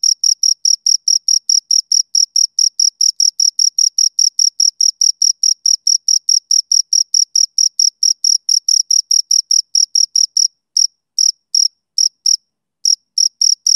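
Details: Two crickets chirping, steady high-pitched pulses repeated about four times a second, with a second harmonic band above; near the end the rhythm breaks into gaps and irregular bursts. No other sounds.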